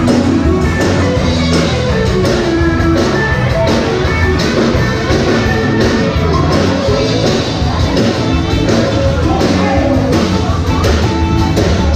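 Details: Dense rock music with singing and a crowd-like wash fills the whole stretch, and no animal is heard.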